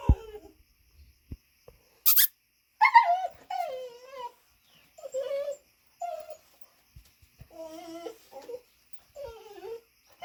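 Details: Pet dog standing on two legs and vocalizing indoors: a series of about seven wavering, high-pitched whines and squeals, some rising then falling, separated by short pauses, with one sharp noisy burst near the start.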